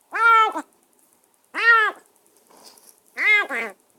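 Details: Semi-wild stray kitten, newly rescued and kept in a cage after a bath and dinner, giving three arched, nasal meows spaced about one and a half seconds apart, the last one broken into two parts.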